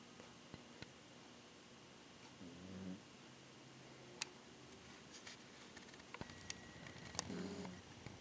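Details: Sleeping pet dog giving two low, droning snores about four and a half seconds apart, each lasting roughly half a second, with scattered small clicks and taps in a quiet indoor room.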